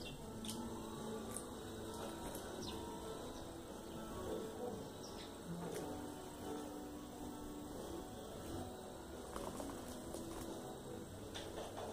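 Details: Only a steady low hum and muffled background noise with a few faint clicks, and no clear animal voice.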